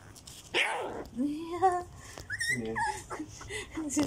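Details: Fourteen-day-old Border Collie mix puppies giving squeaky whines and short yelps, overlapping pitch-sliding cries, over background voices.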